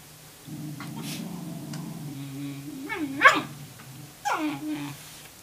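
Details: Tamaskan puppy contesting a Norwegian Elkhound's food: a steady low growl rises into a couple of short yelping whines, the last falling in pitch, with a quiet background.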